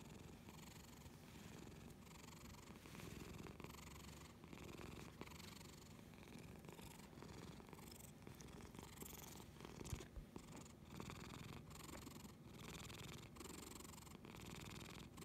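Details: A pet cat named Lily purring powerfully and steadily indoors, a continuous low rumbling drone that pulses gently with each breath, close to the microphone, with no other clear sounds.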